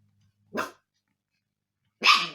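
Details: Husky puppy named Umka, settling into a home and pestering the household cats, gives two short sharp barks about a second and a half apart; a faint low hum runs underneath, indoors.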